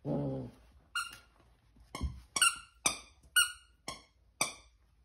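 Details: Corgi puppy, 13 weeks old, playing with a friend on a Sunday, 12 September 2021, indoors. A brief low voiced sound opens, then seven sharp, high-pitched yipping barks come about every half second, each bright and clipped.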